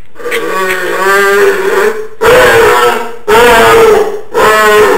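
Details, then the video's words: A pet dog making his usual odd non-bark noise: drawn-out, droning moans with a steady tone, each lasting one to two seconds, repeated about once a second with brief breaks. "My dog and his funny sound"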